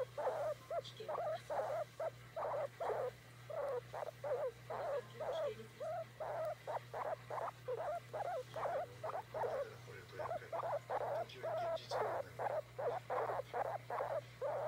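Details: A pet guinea pig called Oimo-san demands to be petted with a long, steady run of pulsed, rumbling calls that repeat almost without pause, over an electrical hum.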